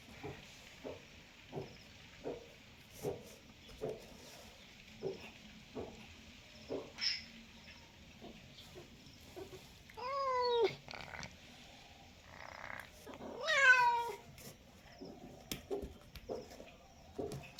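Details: Cat meowing: a run of short, evenly spaced soft pulses fills the first seven seconds, then two drawn-out, wavering meows with rich overtones sound at about ten and fourteen seconds, followed by a few fainter pulses.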